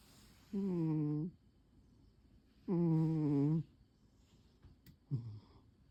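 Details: Sleeping pet cat Pon, curled on its usual chair on a quiet afternoon, lets out two long, droning snores about two seconds apart. A short, fainter breath follows, in a hushed indoor room.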